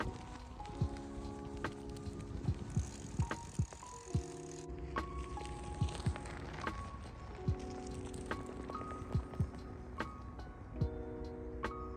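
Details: Upbeat music plays over the rattle and hum of a moving bicycle outdoors, with no animal voice.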